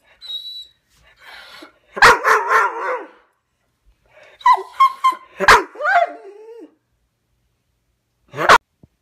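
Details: Dog upset at being separated from his brother, who had gone to the vet: sharp barks mixed with high, sliding whimpers and yips, coming in uneven bursts with short silences between, indoors.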